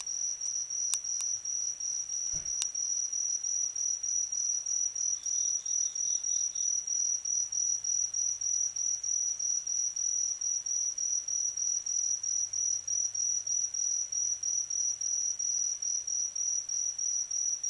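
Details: Insect singing in autumn: a thin, high continuous trill broken into quick regular pulses, roughly three per second, with a short fainter chirp sequence near the middle and a couple of sharp clicks early on.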